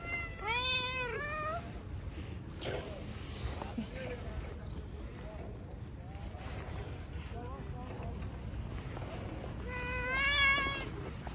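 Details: Cats met outdoors; two short bursts of rising-and-falling meows, one near the start and one near the end, separated by a stretch of low background rumble, with a person speaking Turkish nearby.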